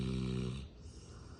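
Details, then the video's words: A female Rottweiler snoring while napping; one deep, rumbling snore lasts about half a second, then fades into quiet breathing. "Rottweiler Snoring"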